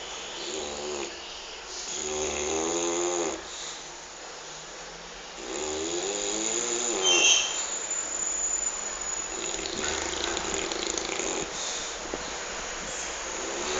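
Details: Sleeping dog named Petter snoring indoors: harmonic, raspy snores in drawn-out breaths around two to three seconds long, separated by quieter pauses, over a steady background hiss.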